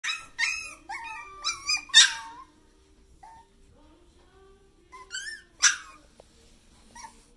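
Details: Puppy indoors giving high whiny yips and whimpers, a quick cluster of squeaky rising-falling cries in the first two seconds, then quieter pauses and two more short yelps near the end.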